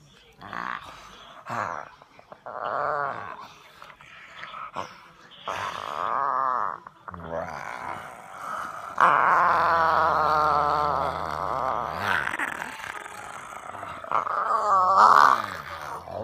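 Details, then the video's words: A bulldog waking up in the morning grumbles with low, throaty grunts and drawn-out groaning growls, broken by a person's brief exclamation. "grumpy dog makes hilarious sounds when woken up 480p"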